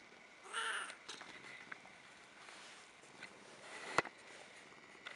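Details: Burmese cat named Cocos, cozy indoors, talking and purring: a short bright meow near the start, then quieter faint chirps and clicks with one sharp tap midway, over a low steady background.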